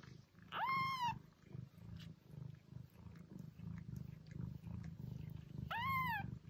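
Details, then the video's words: Two arched, mewing meows from a domestic cat, one at the start and one near the end, each rising then falling, over a steady low pulsing rumble. "Attract your cat - Meows to call cats"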